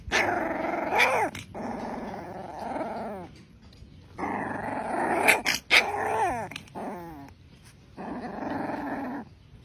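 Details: An angry young Rottweiler puppy growls in long, rough, rumbling bursts that rise and fall in strength, broken by short higher yappy barks and squeals.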